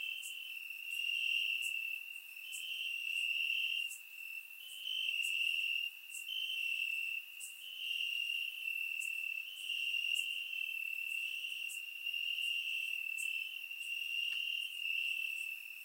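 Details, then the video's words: Crickets singing in grass during a warm summer night in Bulgaria, surround microphone recording; a continuous high trill swells and fades in uneven one- to two-second phrases, with short dips between them and faint ticking above. "Cricket Sounds - Crickets Chirping at Night"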